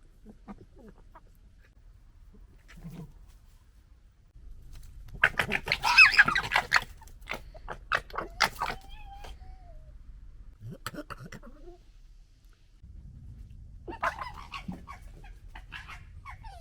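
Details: Red foxes from a local family squabble and fight, with bursts of harsh, staccato chattering gekkering that build to a loud scuffle midway, a thin wavering squeal, then quieter rasping chatters against a low background rumble.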